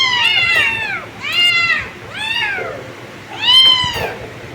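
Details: Kittens give four clear, high-pitched meows spaced about a second apart, each an arched, slightly drawn-out cry that swells and then falls away, over a low background hum.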